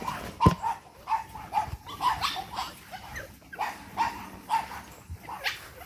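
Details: Energetic Boston Terrier puppies, eight weeks old, from a single litter; a string of short high yips and squeaks, roughly two per second, over rustling and scuffling, with a person calling to them.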